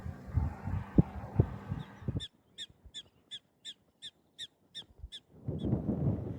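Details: Prairie dogs squeaking at a prairie dog town in the badlands of Theodore Roosevelt National Park, North Dakota: a quick run of about ten sharp, high chirps, roughly three a second, amid wind and rumbling background noise.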